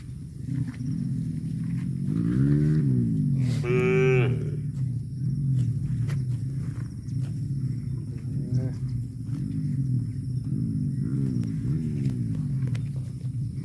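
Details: Cow mooing in a compilation: two harmonic lowing calls, the second rising to a higher strained tone, over a steady low rumbling background.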